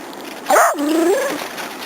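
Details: Young Border Collie playing with other dogs gives a sharp yelp that slides into a wavering, falling then rising whine lasting under a second, with quiet background hiss.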